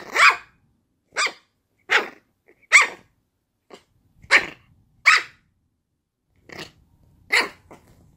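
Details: Puppy barking: eight short, sharp, noisy barks spaced roughly a second apart, each a brief broadband burst, with quiet gaps between them.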